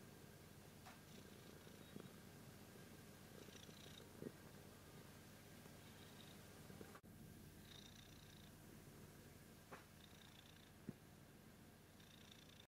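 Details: A cat purrs steadily for about thirteen seconds, the low vibrating drone briefly broken near the middle, with occasional faint tonal sounds and light clicks.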